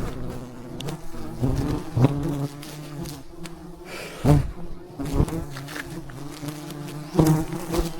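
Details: A giant wild beehive being harvested high in the mountains, thousands of bees buzzing; a low, even drone with harmonic layers, interrupted every few seconds by sharp thumping impacts.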